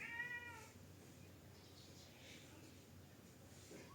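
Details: Orange cat meowing to have the door opened because it wants to go out of the house: a single short harmonic meow at the start, then quiet indoor room noise.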